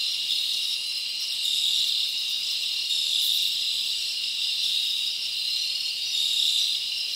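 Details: Crickets chirping through a summer night in the forest, giving a thick high-pitched continuous trill that swells softly every second or two, with faint sharp chirps layered above.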